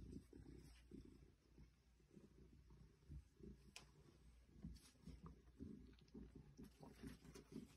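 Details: An 8-year-old female Maine Coon purrs while nuzzling plastic plants in a boy's room at home; continuous low rumble pulsing with her breathing, occasional light rustles and clicks of leaves.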